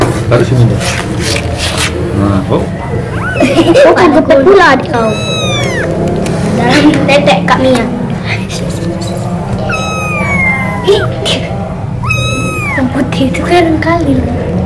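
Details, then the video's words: Kitten crying for milk from its mother, handled by playing children; a few high, arching meows in the second half, with talking voices and background music throughout. "SUARA ANAK KUCING MENGEONG MINTA SUSU"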